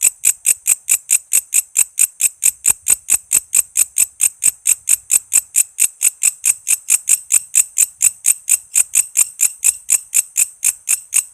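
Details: A walang kece cicada sings vigorously for use as tutor audio for cage songbirds including shama, lovebird, leafbird and magpie-robin; a long unbroken train of piercing high ticks, around four each second.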